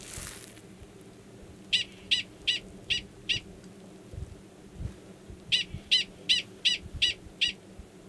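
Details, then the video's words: Mating call of male 45, a Gunnison's prairie dog, before he submerges to copulate, Valles Caldera National Preserve, New Mexico, March 2017. Five rapid piercing chirps, a short pause, then a series of seven more at the same quick pace. "Prairie Dog Mating Call"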